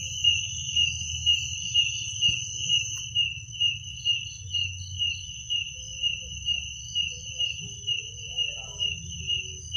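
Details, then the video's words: Night-time cricket chorus: an unbroken high-pitched ringing trill layered with rhythmic chirp pulses about twice per second, some brief faint higher notes near the end, and a soft low hum beneath. "Suara jangkrik pada malam hari"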